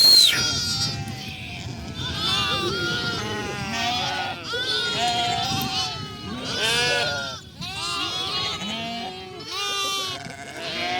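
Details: Lambs running about, many bleating together in a dense chorus of wavering, harmonic bleats at varied pitches, some rising and falling in short arcs, with a few high thin cries and faint human voices beneath.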